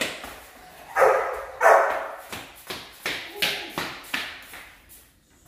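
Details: Rottweiler puppies in a guard-training routine for high-performance guard work; two loud, broad barks open the sequence, followed by a string of shorter, sharper barks roughly every half second that fade toward the end.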